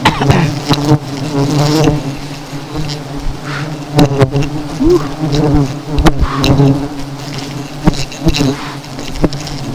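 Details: Angry honey bees swarming after seven colonies were taken down, pursuing people: continuous thick buzzing drone with layered low tones and shifting whines of single bees passing close, sharp knocks and brief voices mixed in.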